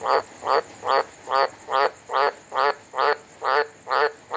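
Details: A frog gives loud, rasping croaks in a steady beat, about two every second, on a hot, wet monsoon night in December in Humpty Doo, Northern Territory, Australia.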